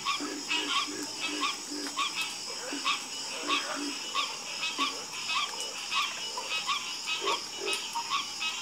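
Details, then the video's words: Frogs croaking in a night chorus, many overlapping short calls in layered pitches, some low and knocking, others higher and nasal, pulsing irregularly about ninety times a minute over a steady high insect-like hiss. "FALL ASLEEP FASTER WITH FROGS 🐸 Sleep Like A Baby With The Calming Sound Of Harmonious Frog Croaking"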